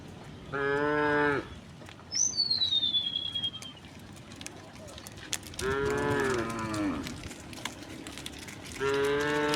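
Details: Tame cows in a herd of dozens stroll a quiet rural road through green countryside; three drawn-out lowing moos about four seconds apart, and a single thin, falling bird whistle in the gap.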